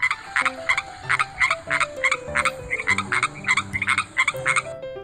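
A frog gives rapid, raspy croaks, each a short buzzy burst repeated about three times a second. Gentle instrumental music plays quietly underneath throughout.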